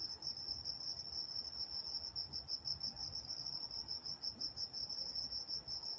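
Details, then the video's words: Nighttime crickets in Walnut, California, producing a continuous high trill with a loose, uneven pulse, slightly quieter, with faint low rumble underneath. "Nature Sounds Night Time Crickets in Walnut, California"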